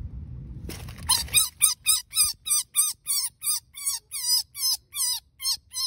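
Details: Baby rabbit, scared after being rescued from dogs attacking young rabbits in a fenced backyard, gives about a dozen shrill, piercing screams, roughly three per second, each note dipping and rising, after a brief rustle of handling.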